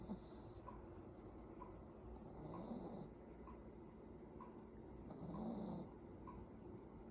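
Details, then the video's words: A sleeping Affenpinscher puppy snoring softly: low, rough breaths repeated at an uneven pace, roughly every few seconds, with faint higher squeaky whistles on some breaths over a steady background hum. "코골며 자는 강아지"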